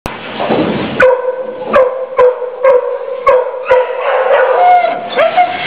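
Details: Female pit bull mix dog held in the Mahoning County Dog Pound, Youngstown, Ohio, January 13 2014, crying in distress while caged; a sustained, wavering high whine with rising inflections, broken by sharp metallic clicks.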